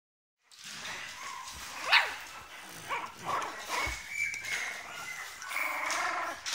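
French Bulldog puppies give high, thin whimpers and short yips, rising and falling in pitch.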